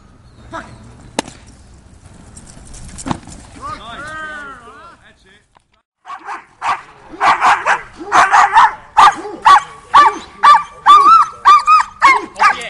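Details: Doberman Pinscher in Schutzhund training. Quiet at first with a brief whine, then a burst of rapid, sharp barks building steadily over the final six seconds.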